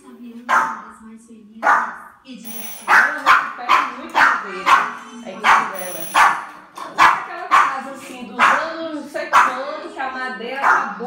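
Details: Dog barking at the sound of the doorbell: a rapid series of sharp barks, roughly two per second for most of the stretch, with a steady low hum beneath and a high faint tone.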